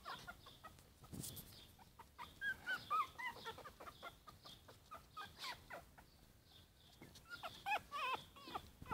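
Four-week-old Yorkshire Terrier puppies make brief, high-pitched squeaky whimpers, some bending up and then down in pitch. Steady tapping, rustling and handling noises fill the background.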